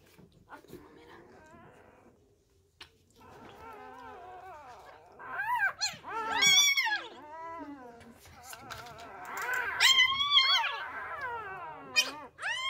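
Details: Newborn Labrador Retriever puppies, left by a first-time mother and being hand-fed fresh milk indoors, cry in high, wavering squeals that rise and fall, growing louder and more frantic in the second half, with faint background music.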